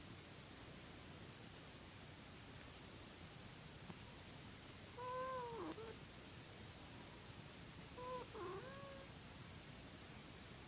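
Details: A cat making weird noises: two short wavering calls about three seconds apart, each sliding down in pitch at the end, heard over a steady background hiss.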